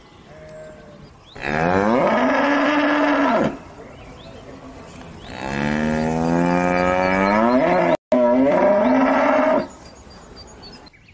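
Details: Cow, one of several breeds, lowing three times: two long, steady, deep moos of about two and four seconds with rich harmonics, then a shorter third moo after a brief break.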